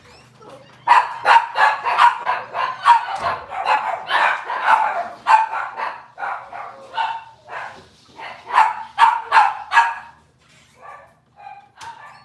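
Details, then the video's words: Robin's litter of Cavalier King Charles Spaniel puppies on a kitchen cam livestream barking rapidly and continuously, dense runs of high yappy barks and yips overlapping, easing into scattered yelps near the end. "Cavalier Puppy Live Stream: Robin's Puppies"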